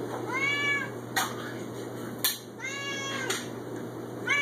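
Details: A 6-year-old male Siamese cat, apparently wanting food, gives loud, drawn-out meows with rich harmonics, rising then falling.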